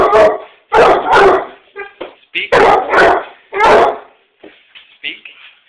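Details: Basset Hound barking when its owner gets home, a run of loud, deep, drawn-out barks roughly every half second, interspersed with short whines and yips.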